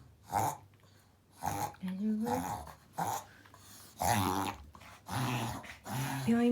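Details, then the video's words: Pomeranian indoors having a reverse sneezing episode, filmed to show a vet: rough snorting gasps repeated about every second, with a pet owner's voice in the background. "逆くしゃみ 参考に ポメラニアン"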